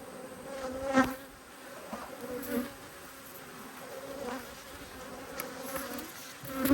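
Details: Honey bees from two hives, cross at being inspected on 5 March 2022, give a steady low hum with a higher overtone. The hum swells as individual bees zip close past, near one, two and a half, four and almost seven seconds.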